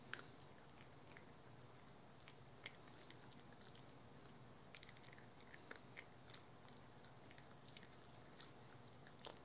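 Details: Pet dog Rookie working through a dental chew, with soft crackling bites and occasional louder crunches spaced unevenly over a faint low hum.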